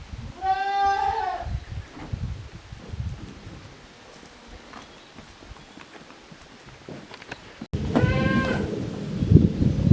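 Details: Playtime for Koharu's and Okayu's kids, two teams of young goats on a handmade goat farm, 13 June 2023. A trembling bleat opens, a long quiet stretch with soft rustling follows, then a second bleat over loud low rumbling handling noise.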